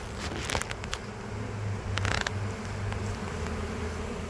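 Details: Western honey bee swarm collected from a tree in late spring in Lakeland, Florida; constant buzzing hum with a low droning tone, interrupted by clicks, taps and crackling handling noises.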